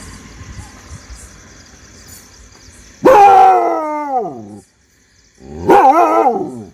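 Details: Adopted street dog barking at unknown people: two long, strained bark-howls that slide downward in pitch, each lasting over a second, separated by a brief silence, with low background hum before the first.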